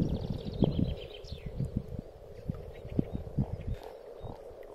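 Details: Frogs gathered for spring spawning in a pond, giving low, knocking grunts and croaks in quick irregular bursts that overlap into a rumbling chorus, with faint high bird notes drifting above.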